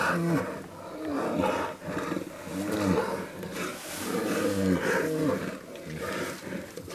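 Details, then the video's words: Bear giving a series of moaning, wavering calls with bending harmonic tones, several short bursts rising and falling over seven seconds against a steady, rushing background hiss. "Bear Sounds"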